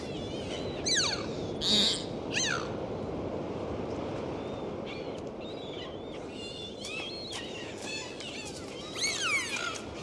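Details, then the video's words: Dolphins in the open sea, captured on a dive: a few sharp downward-sweeping whistles early on, then quieter scattered chirps and a final arching whistle burst, set against constant underwater rumble and hiss. "Sound of Dolphins"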